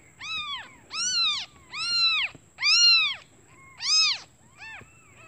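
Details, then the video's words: Hungry newborn kittens calling their mother, who has gone out looking for food: loud, clear arched mews in a run of about six, each rising then falling, spaced roughly one second apart. "Suara anak kucing memanggil ibunya"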